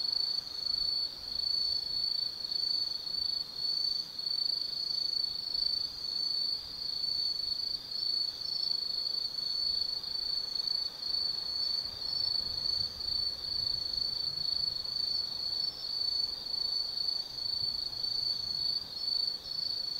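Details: Forest insects of an autumn night at Tsukimi no Mori, Gifu Prefecture, Japan, 180 m above the Nobi Plain, keep up an unbroken, bright, high trill that wavers softly in loudness throughout.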